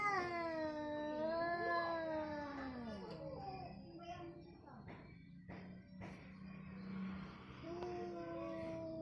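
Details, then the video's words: Orange and white domestic cats in a fight, long drawn-out wavering yowls sliding down in pitch, then a low steady growl and a final rising wail, with a person talking in Indonesian over them indoors. "kucing Oren vs putih"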